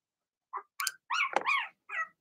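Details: Blenheim Cavalier King Charles Spaniel puppies in their indoor puppy pen, producing a few short high yips, a longer wavering whiny bark in the middle and a final brief yip.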